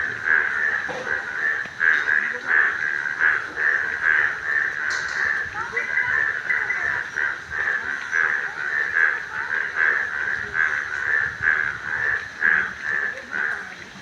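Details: Yellow frog calling in a steady, dense series of short pulsed notes, mid-pitched and rasping, repeated several times a second throughout, suggesting many callers together, with a faint brief higher sound near the middle.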